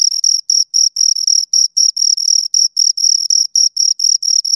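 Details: Chirping of two crickets, a shrill, piercing tone pulsed in quick, slightly uneven bursts with short silences between, loud and near, nothing else audible.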